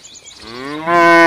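A cow gives a deep, rich moo that swells in loudness and steadies on a low, buzzy tone. There are no other clear sounds.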